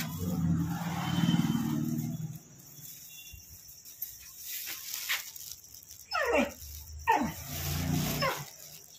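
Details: Pet dog crying because its owner does not stay home, giving two high, sharply falling whines in quick succession after a stretch of low rumbling background noise and a man's voice.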